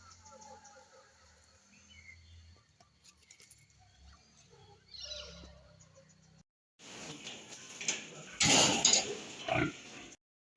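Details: Pigs on a farm in West Bengal, India, where piglets are bred: a few quiet seconds with faint background noise, then a loud, harsh, high-pitched burst of squealing lasting about three seconds near the end.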